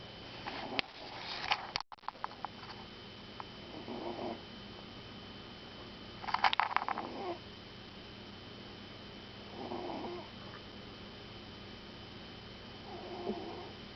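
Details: Sleeping puppy snoring: soft, breathy rasping bursts recur every three seconds or so, some with a faint whistle, after a few sharp clicks and taps near the start; a steady low hum runs underneath.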